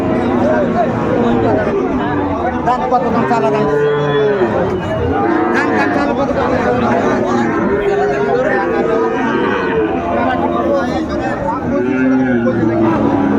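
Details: Cattle lowing at a Chattogram cattle market on 17 January 2025, where Sahiwal bull calves are being bought; several long harmonic moos rise and fall over constant crowd chatter and voices.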